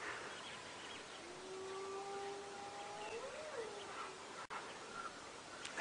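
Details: A spotted hyena calls near its den at dawn on a clear autumn morning, 29 April 2017, on a South African game reserve: a low, drawn-out hooting call that climbs slowly and swells before falling away, over steady wind and faint hiss.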